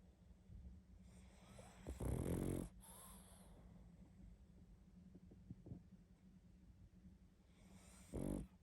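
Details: Sleeping pug snoring heavily: two loud rasping snores, one near the start and a shorter one at the end, with softer wheezy breathing between them.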